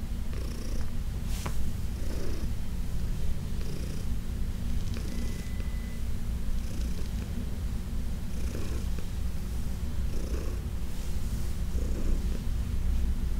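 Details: Massaged senior cat Heidi, once arthritic and uncomfortable, purrs loudly and continuously; low rhythmic rumbling with regular breath swells, punctuated by brief scratchy hand-stroking sounds and one faint short tone.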